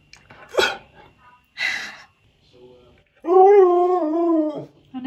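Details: Husky named Key, indoors, vocally demanding churros he is trying for the first time. After two short bursts of a woman's speech comes a loud, drawn-out, wavering moan of about one and a half seconds, then the start of another note.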